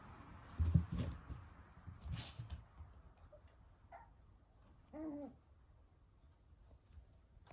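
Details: Cavalier King Charles Spaniel puppy Milk, a two-month-old tricolour, meets her older Blenheim sister Choco indoors. A faint short whimper comes first, then one brief, clear whine that rises and falls, amid soft thumps and shuffling in a quiet room.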